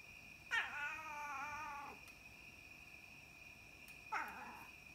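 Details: Young domestic cats, one black and one white, recorded at night: a drawn-out wavering meow of about one and a half seconds, then a shorter meow near the end, over a steady high electronic whine.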